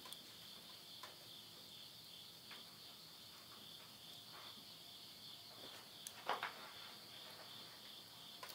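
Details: Insects calling at midnight at the end of summer, September 2020, in the countryside of Yurihama, Tottori, Japan: a steady, unbroken high-pitched trilling in two close bands, punctuated by sharp pops and crackles from wood burning in a stove.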